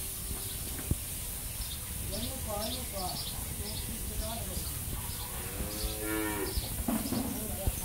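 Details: Ten-month-old Jersey heifer calf at a dairy farm in Pabna, Bangladesh, gives one drawn-out, low, harmonic moo lasting about a second, while small birds chirp repeatedly in the background and faint human voices murmur nearby.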